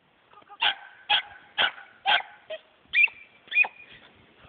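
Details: A female dachshund gives a run of sharp, high barks, about two each second, during winter play.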